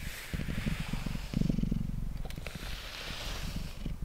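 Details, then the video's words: Short stretch of Mango, a domestic cat, purring under brushing on a table; faint low rumble with a brief stronger swell, mixed with crackly brush and handling noises. "Cat Purring & Brushing Sounds"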